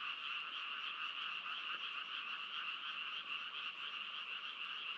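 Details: Continuous frog chorus, many overlapping croaks merging into an even, bright buzzing drone with little break in the pulses.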